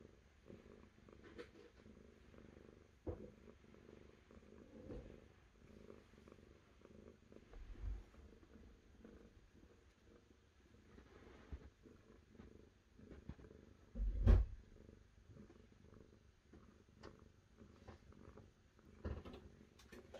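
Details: Long, steady purring from a cat, a gentle low throb pulsing with its breathing, with a thump near the middle and scattered small clicks throughout.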